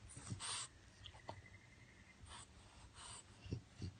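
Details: Male French Bulldog in his crate after being woken from a nap, breathing noisily with hissing exhalations and short low snorts; a faint thin whine is held briefly in the middle.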